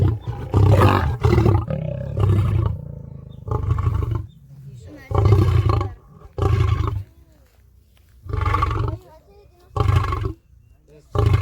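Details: Lion roars, given by males and females to communicate location, show strength and intimidate other prides; deep, rough, loud bursts in an irregular series with brief pauses.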